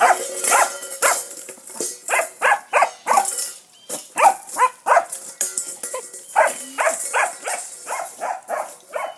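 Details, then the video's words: Jet, a foster pup in Bulverde, barks at a rock under his bowl: short, high, irregular barks in quick runs, mixed with clattering knocks and a faint steady tone in the background. "Jet barking at rock under his bowl"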